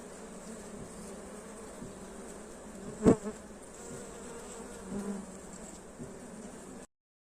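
Honey bees hum steadily, with one bee buzzing loudly close by for a moment.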